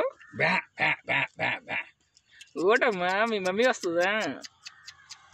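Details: Newborn village lambs: a quick series of five short pulsed bleats, then one long, trembling, wavering bleat lasting about two seconds before fading to quiet.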